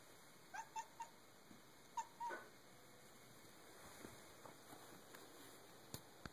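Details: Playful cat after a sunlight reflection, making a run of short bark-like chirps, then a longer rough chirp, followed by faint clicks and rustling against low steady hiss.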